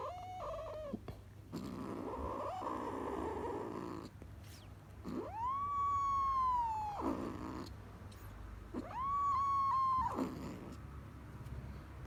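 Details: A kitten gives three long, wavering meows, each rising quickly then holding steady for about two seconds, with low purring rumbles filling the gaps between calls.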